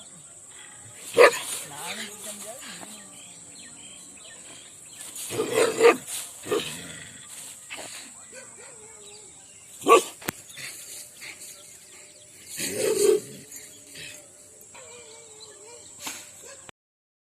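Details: Rajapalayam hunting dogs fighting in an Indian village give harsh, angry barks in short bursts, several seconds apart.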